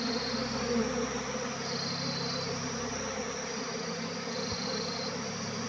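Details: Honey bee swarm in flight, many wings giving a thick continuous buzz, the high whine gently rising and falling in pitch, with a faint low rumble underneath.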